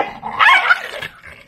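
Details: A 1-year-old male Lhasa Apso, rescued after many days caged and with a history of biting, snaps and growls at his owner with a sharp, harsh snarling bark, a brief aggressive outburst.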